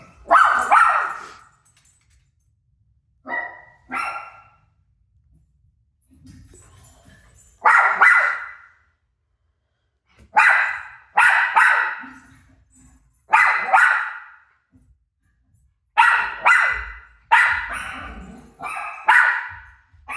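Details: Rosie, a dog, answers her own bark on TV with sharp barks, single and in pairs, spaced by silences across the stretch.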